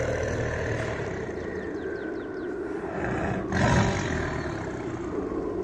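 A tiger's deep, rumbling roar, swelling into a louder, rougher burst partway through.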